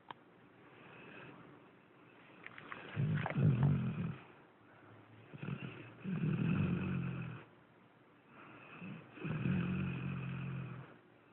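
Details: Sleeping dog snoring: low, rumbling drawn-out snores roughly every three seconds, each a rasping breath of a second or more, with quieter breathing between.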